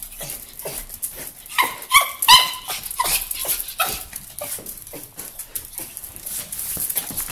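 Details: Carlos the miniature pinscher, thrilled that his owner is home, lets out a brief burst of high, ringing yelps near the start. After that come softer, choppy barks and whines mixed with rustling household noise.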